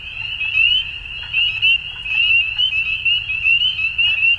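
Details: Dusk frog chorus, many callers overlapping. The sound is a piercing, steady high tone broken into quick upward-slurred chirps, with pulses of loudness throughout.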